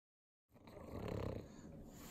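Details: Pug dog eating butter at home in Southern California's Inland Empire, one of three pugs: a short low snuffling snort rises after half a second of silence, then a steady wheezy breathing rasp continues to the end.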